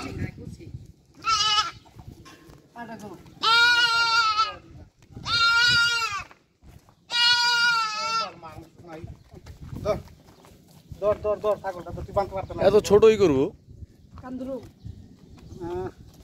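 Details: Bleating goats on a farm in the Qatar desert: several long, strained, nasal bleats follow one another in quick succession, then a stretch of softer muffled voices and shorter bleats.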